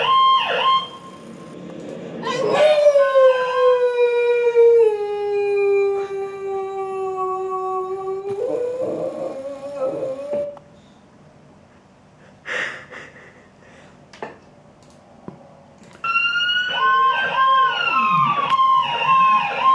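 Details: Female Boxer dog howling at passing ambulance sirens: a long, drawn-out, harmonic howl that slides gradually downward. A quieter pause follows, with short scattered sounds, before a loud wavering tone returns near the end.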